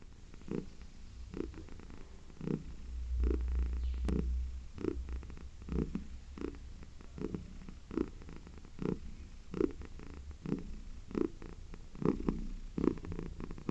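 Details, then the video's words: A domestic cat purring in rhythm with its breathing: low, rumbling pulses with brief bursts about once a second, steady and continuous through the recording, indoors and quiet. "CAT PURRS RELAXING!"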